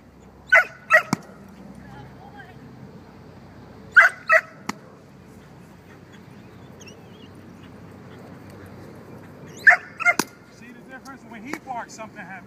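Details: Archie, a six-month-old dog, during bite work: scattered pairs of short yelping barks near the start, middle and end, with quieter whiny sounds toward the close and long low-level pauses between.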